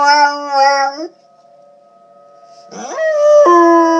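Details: A dog howls in long, wavering, tuneful notes, with a tornado siren sounding steadily in the background.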